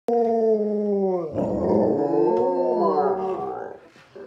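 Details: Alaskan Malamutes, three pet sled dogs, howling together indoors: long sustained tonal howls holding steady, then breaking into wavering, overlapping voices that rise and dip before fading out.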